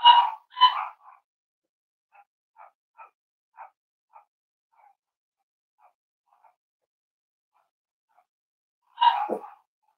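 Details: Cavalier King Charles Spaniel puppies playing and exploring together: two loud high yips open, then a run of soft short squeaks spaced about half a second apart, and one more sharp yelp near the end.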